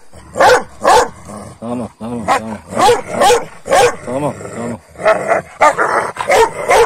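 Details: Kangal dogs, given rabbit the night before, squabbling with one another in the morning: dense, overlapping harsh barks and snarling growls in rapid, irregular bursts, with short rumbling growls between the louder yaps.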